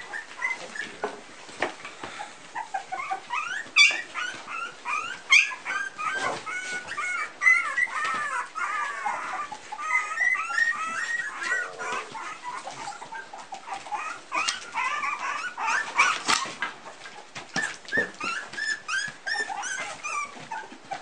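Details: A litter of Pumi puppies at three weeks old, a constant chorus of overlapping high-pitched whimpers, squeals and wavering whines from several pups, with occasional soft knocks in between.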